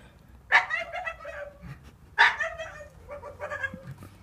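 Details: Staffordshire Bull Terrier giving two sharp, strained barks about one and a half seconds apart, each followed by a wavering, whining tail, with low background noise.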